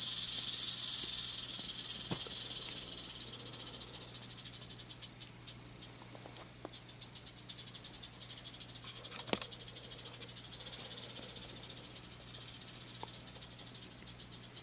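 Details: Western diamondback rattlesnake, a tame captive-born female around three years old and roughly a metre long, rattling: loud continuous sizzling buzz at first, then fading into rapid ticking pulses, with scattered clicks and a constant low electrical hum.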